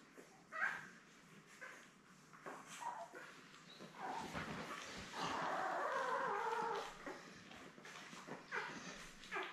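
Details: Labrador Retriever newborns, a litter of seven with mother Belle, born May 24 and watched on a live puppy cam; brief squeaks and rustling lead into a steady, slightly wavering whine of about two seconds.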